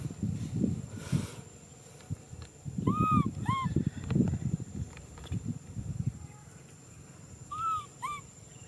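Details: Macaque baby Nui Simon calling out for a hug: short arched cries in two bursts, a pair mid-clip and another pair near the end, amid heavy low thumping and rustling noises.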